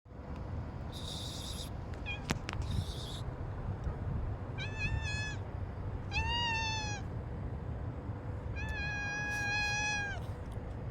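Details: Domestic cat meowing three times in the second half, each meow long, steady and harmonically rich, the last one longest; two short bursts of hissy noise and sharp clicks come earlier over a constant low background hum.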